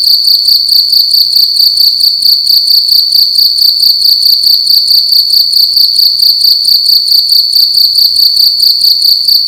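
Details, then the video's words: Night-time cricket sounding loudly within a room: unbroken high-pitched chirping made of fast regular pulses, a bright shrill trill running the full length. "Cricket making loud sounds at night in a room"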